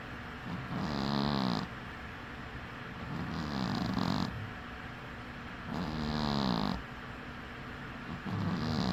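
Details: Cat asleep with one eye open, snoring in an even cycle of four throaty, buzzing breaths about every two and a half seconds, airy hiss riding each one, no other sounds.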